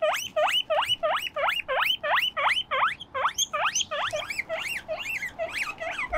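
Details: Pet guinea pig pair Moruhei and Mokohei on a balcony at play; rapid series of upswept whistling wheeks, nearly three per second, growing slightly hoarser and more overlapping toward the end.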